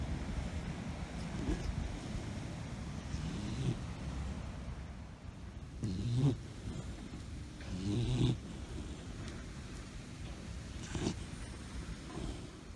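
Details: A puppy snoring during a happy nap on a yard swing outdoors: soft, low, rasping breaths roughly every two seconds, a few slightly louder snorts, steady faint background hiss.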